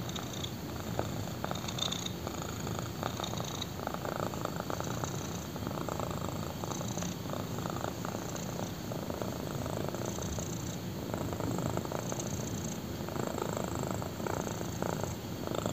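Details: Black kitten purring while lying on a person's thigh indoors; a steady low rumbling purr runs throughout, with soft rhythmic pulses swelling and easing in alternating inhale and exhale phases, close to the microphone.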